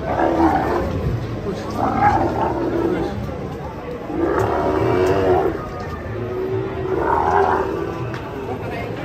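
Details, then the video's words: Rampaging sacrificial cow being unloaded from a truck lets out loud, rough bellows in three or four swelling bursts, each lasting about a second, with people talking and a noisy crowd-like background. "SAPI KURBAN NGAMUK TURUN DARI TRUK GANAS"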